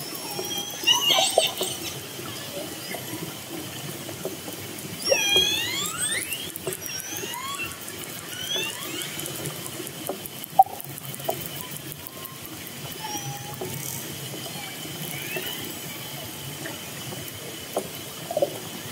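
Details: Orcas approaching a fishing boat, recorded underwater: bursts of harmonic squealing calls, some sweeping down and some curling up, with scattered clicks over a quieter hissing background.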